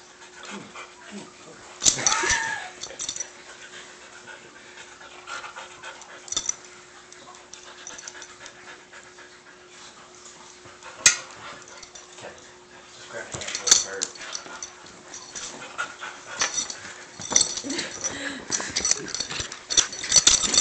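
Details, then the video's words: Dogs play fighting indoors, a Dachshund named Johnson and a mutt named Bruce; scuffling, panting and breathy growl-like noises come in bursts, with a woman's voice speaking softly and a steady low hum. "Johnson the Dachshund vs Bruce the Mutt"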